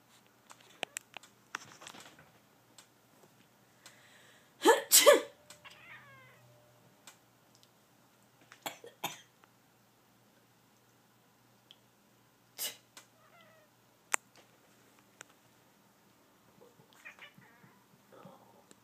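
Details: A house cat named Cosmo, roused from sleep, gives a brief trilling chirp right after a loud human sneeze, followed later by soft, short chirps amid clicks and rustling in a quiet room.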